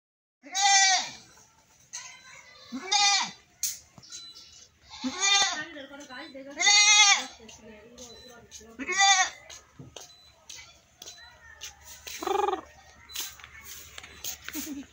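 A goat bleats repeatedly, loud wavering cries every couple of seconds.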